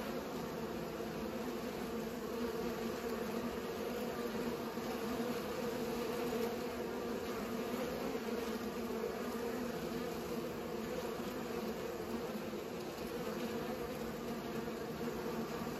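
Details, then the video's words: Steady humming of bees at work pollinating, a dense unbroken drone of overlapping low buzzing tones. "Bees pollinate"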